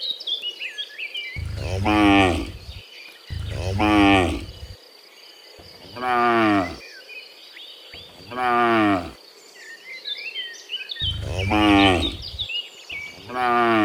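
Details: Cattle, dozens of them, returning from the fields to the pen in the afternoon; six moos, some deep and some higher, repeated every two seconds or so, with bird chirps throughout.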